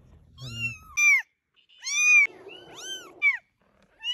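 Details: Several kittens calling together, short high arched mews overlapping and following one another in quick succession, with a stretch of low murmuring noise beneath some calls.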